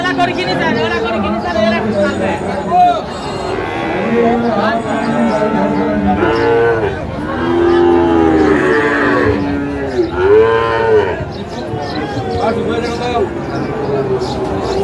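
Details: Sahiwal cattle at a busy market in Kushtia, Bangladesh, bull calves on sale; repeated arching moos, each swelling then falling over one to two seconds, several animals calling, with people talking and bargaining throughout.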